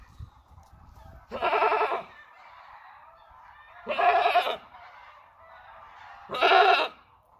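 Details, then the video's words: Creamy-white breeding buck goat in Buraydah: three loud, harsh, nasal bleats about every two and a half seconds, each lasting under a second, with quiet background between. "تيس ابيض كريمي منتج"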